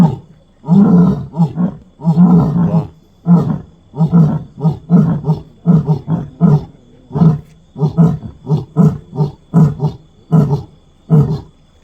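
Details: Lion on a road at night giving a fast series of deep, throaty grunts, roughly one a second, loud and low. A faint steady high whine runs underneath.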